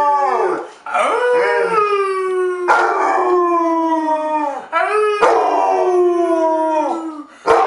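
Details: Rescued 8-year-old Basset Hound named Harley from Portland, Oregon, howling in a run of drawn-out mournful notes, each sliding slightly downward, separated by brief breaths and quick restarts.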